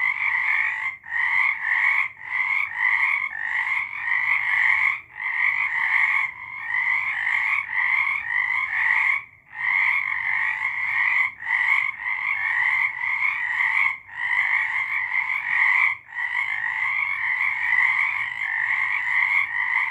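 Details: A dense frog chorus of rapid, pulsing trills overlapping continuously through the night, March 2023.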